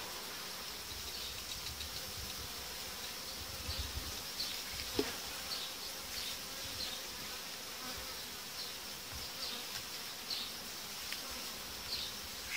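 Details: Honey bee colonies being joined in one hive, uniting diaphragms taken out about five days after insertion; a sustained rushing buzz with irregular swells, a sharp tap near the middle and light handling noises.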